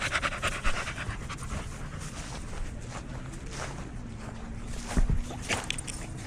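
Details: Dog at a dog park panting steadily: a run of breathy, noisy huffs over several seconds, with low outdoor rumble underneath and brief faint human sounds near the end.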